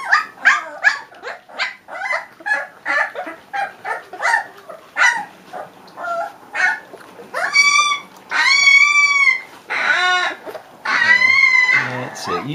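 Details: Three-week-old Leonberger pups give a rapid run of short yips, about two a second. The yips then give way to longer, loud, high, drawn-out whines.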